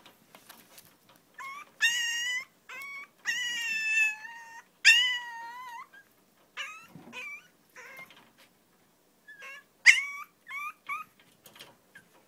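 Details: Long-coat chihuahua, one of a pair named Choco and Maron filmed in their everyday life, giving high, wavering whines: drawn-out tonal whimpers lasting up to a second, rising and falling in pitch, in bursts separated by short silences in a quiet room.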